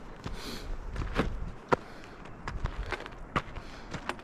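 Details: Footsteps and scattered knocks and clicks outdoors with faint background noise, and no animal calls heard.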